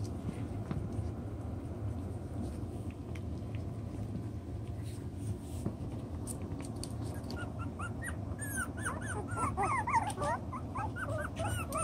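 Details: Chocolate brown Toy Poodle puppies, six weeks old, playing with their toys and working out their pecking order. Near silence for seven seconds gives way to a sudden burst of rapid, high, squeaky yips and whines packed into the last few seconds.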